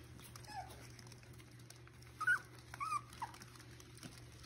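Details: Miniature Schnauzer puppies almost six weeks old, out for playtime with their mother at a breeder in Mission, British Columbia; a faint whine, then three short, high, thin whimpers close together midway, over a steady low indoor hum.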